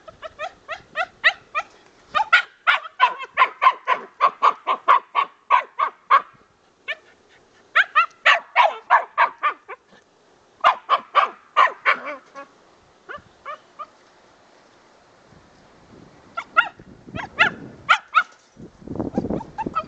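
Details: Excited barking from Jack, a dog on his first squirrel hunt during drive-building training: rapid bursts of sharp, high barks, several per second, broken by short pauses, with rustling and scuffling near the end.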